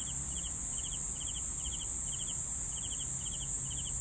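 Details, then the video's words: Crickets give steady chirps, each made of a few rapid pulses, spaced about half a second apart, with a continuous high-pitched ringing drone and faint low background rumble. "CRICKETS SOUNDS"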